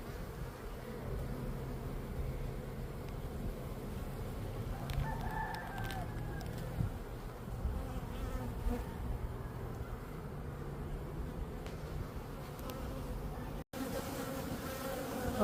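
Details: Honeybee drones in Florida flying out of the hive to find queens and mate: a dense, steady low buzzing hum from many bees throughout, with a brief rooster-like call near the middle and a short break near the end.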